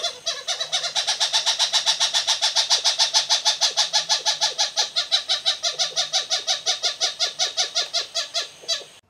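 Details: A lesser bushbaby in Southern Africa gives an aggression call: a harsh, rasping chatter of about fifty rapid pulses, three per second, rising and fading over nine seconds.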